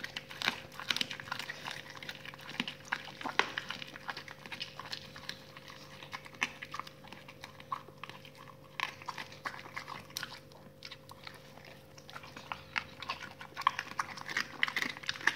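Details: Raw-fed dogs gnawing salmon bones and chicken carcasses, a continuous stream of dense crunching and crackling bites with louder snaps scattered throughout, over a low electrical hum.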